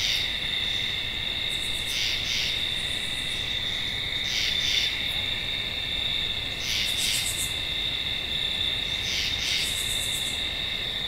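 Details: A tree frog calls in brief doubled bursts at irregular intervals. A continuous shrill insect hum runs underneath, and faint rapid high-pitched pulse trains come and go.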